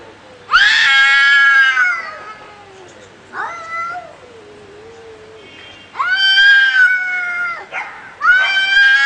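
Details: Fighting cats trade loud drawn-out caterwauls: a harsh rising yowl, a quieter sliding moan, then two more strident wails near the end.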